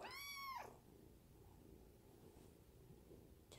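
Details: A Munchkin kitten, petted by its owner, lets out one short harmonic meow that drops off at the end, followed by near silence and a faint click.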